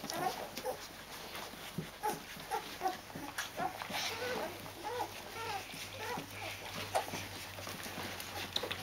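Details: Rhodesian Ridgeback puppies of a litter, 14 days old, still with their mother, give short, high, thin squeaks and whimpers in quick runs, several per second, over soft rustling and clicking movement noise.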